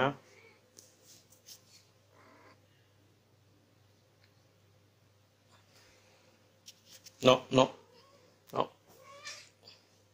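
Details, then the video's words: Female Persian cat named Diana in heat, ready to mate, indoors; a few short harmonic meows cluster near the end, two loud ones close together then a single call, with quiet room noise and faint speech between them. "Persian cat in heat🐱 | Female Persian cat heat symptoms"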